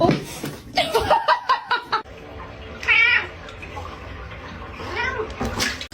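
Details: Pet cat giving short wavering meows, one clear mid-clip and another near the end, mixed with human voices, laughter and handling noises.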